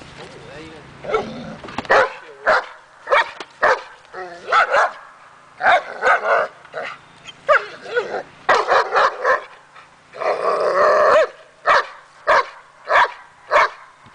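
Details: Daja, a dog on an agitation table during an October 20 session to build confidence and barking, gives a string of sharp, loud barks in quick bursts, some closely doubled, after a person's brief spoken words at the start.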